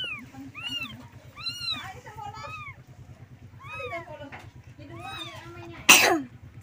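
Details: Kittens calling their mother for milk: scattered high arched mews at intervals over a low hum, ending in a sharp burst of noise like a cough.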